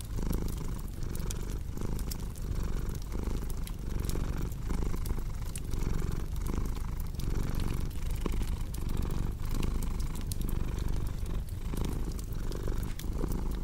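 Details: Cat purring continuously, a deep rumble pulsing in even in-and-out cycles under frequent crackling pops of a cozy fireplace.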